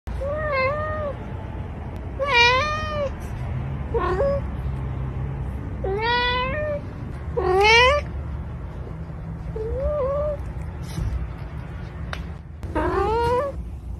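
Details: A pet cat meowing repeatedly, with about seven separate rising-and-falling meows over fourteen seconds. Some are short and others high and strained, all over a steady low background hum.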